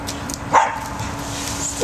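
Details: Cocker spaniel named Max, scared of the tunnel holding his treats, gives one abrupt, sharp bark just past the half-second mark, then quiet background hum and faint chirping.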